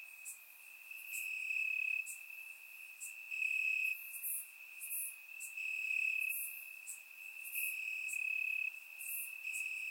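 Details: Crickets calling from grass on a warm Bulgarian summer night, recorded with a surround microphone: sustained high ringing trill, with intermittent louder bursts of rapid chirps rising and falling across the stretch.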